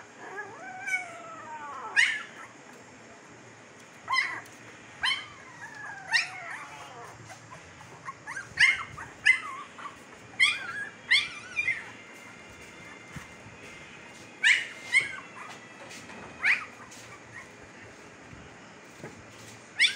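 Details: A litter of Siberian Husky puppies in Pakistan at 15 days old cries with long falling whines early on, then clusters of short high yips and squeaks scattered irregularly, with quiet pauses between.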